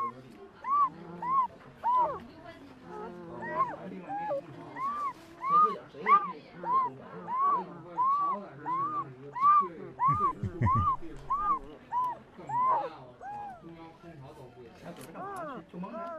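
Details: Male puppy asleep and dreaming, giving a long run of short, squeaky whimpers, each bending up then down in pitch, roughly one and a half per second, with soft low grumbles and breathing underneath.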